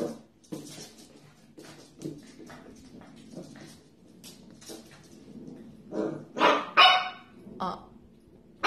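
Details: Corgi pups yapping in short bursts, a run of light yips building to several loud, harsh barks near the end, with human voices talking in the background.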